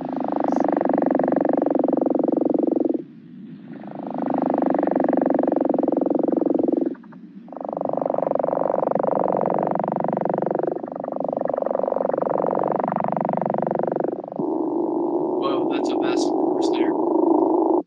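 A chorus of gopher frogs giving deep, rasping snore calls in long overlapping bursts.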